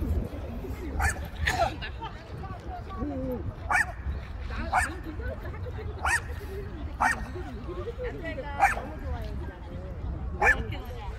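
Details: Long-haired Chihuahua Jangsu on an outing to Ganghwa Island, giving short sharp barks about every second or two over steady human talking and a low background rumble.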